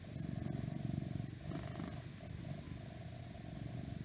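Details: Domestic cat purring for an ASMR recording that also has a little whispering and some outside noise. A low, steady, rapidly pulsing rumble continues throughout, with a faint constant hum above it.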